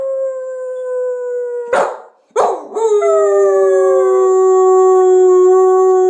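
A dog gives long, steady howls, joined by a person howling along in overlapping, slowly falling tones.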